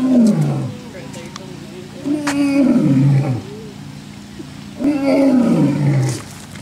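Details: Lion roaring in the African savanna, a call used to mark territory and communicate with its group: three deep, drawn-out moaning roars, each sliding downward in pitch, spaced a little over two seconds apart.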